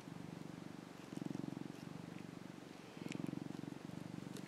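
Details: Young male orange tabby cat, a rescued pet, purring while lying in the sun; a deep vibrating rumble in alternating softer and louder stretches, each about a second long, over light room hiss.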